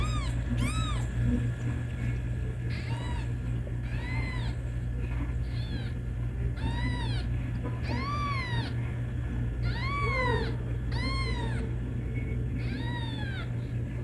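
A kitten gives high, thin meows that rise and fall, repeated every second or so to call its mother.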